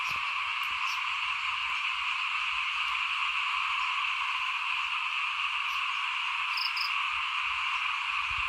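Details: Frogs croaking outside a house while rice is being sown, 2021: a loud, steady, buzzing chorus on two pitch levels, with faint low knocks and a couple of brief high chirps.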